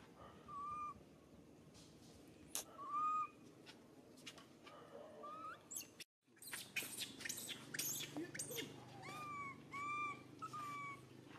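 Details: Pitiful crying from Suca, a baby monkey hurt when Susan grabs him: short, level, whistle-like cries repeat in bursts, a brief silent break midway, then a faster run of cries amid clicks and rustling.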